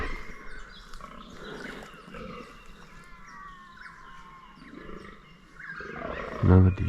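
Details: Rutting fallow deer bucks in 2023, a group of about fifteen near a scrape: low, rough groans rumble beneath small birds chirping overhead, closing with a loud handling thump.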